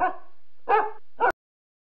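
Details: Dog barking: three sharp, rough barks in just over a second, the middle one loudest, followed by silence.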